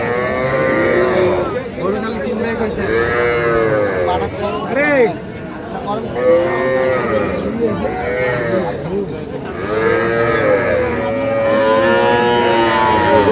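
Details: Small Sahiwal bull and heifer calves at a Pabna cattle market on 12/5/25, bought by a farmer; repeated overlapping moos, each a rising-then-falling drawn-out bawl, several calves calling over each other amid crowd chatter and brief music.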